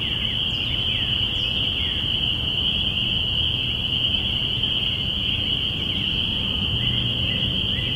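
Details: Spring peepers in a binaural recording made April 5, 2017, at the beginning of spring: a dense, unbroken chorus of high piping peeps merging into one steady shrill ring, over a low rumbling background.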